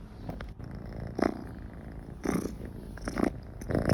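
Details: Domestic cat purring while it feels comfortable near people: a steady, low, rough rumble runs throughout, with brief louder, brighter swells near 1.2, 2.3, 3.2 and 3.8 seconds.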